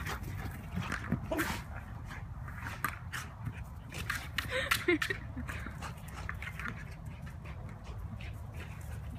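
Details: A high-energy rescue Belgian Malinois named Tazz in the middle of ball play. Short whimpers and panting sit among dense tapping and clattering bursts, with a person speaking nearby.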